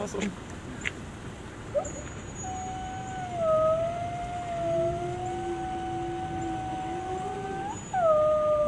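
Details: Gray wolf at a zoo in Washington, DC, giving a long, steady howl that starts around 2.4 seconds and holds for several seconds with slight wavering, overlapped by a lower second howling voice, then a fresh higher howl near the end; soft background murmur.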